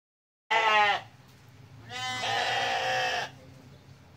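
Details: Sheep of several breeds, Dormas, Sopas, Merino and Texel, with lambs in a shared pen on a farm; two bleats, a short nasal one followed by a longer, strained, quavering bleat lasting over a second, with low barn hum behind.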